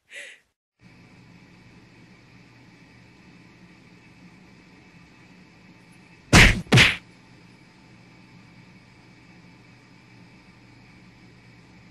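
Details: Quiet room hum is broken by two sharp, loud whacking thuds in quick succession midway, with no animal calls.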